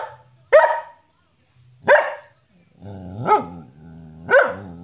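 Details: Bonnie, a pet Samoyed, barks during play: two abrupt, loud barks spaced over a second apart, then two longer, harmonic whining barks that rise and fall in pitch, with a low background hum.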